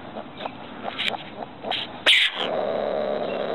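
A ringtail gives a few short, thin squeaks and chirps, then one sharp, harsh squeal, followed by a steady background hiss.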